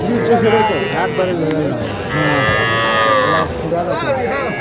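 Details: Young bull and heifer calves for sale at Aftabganj cattle market, Dinajpur, Bangladesh, on a Tuesday in January 2025: a drawn-out tonal moo of over a second rises above the crowd chatter and speech of the busy market.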